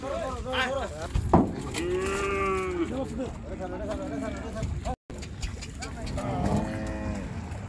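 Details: Cattle being unloaded in Bangladesh; several drawn-out moos, one clear arching low moo near the middle and a fainter one at the end, over constant engine rumble and crowd noise.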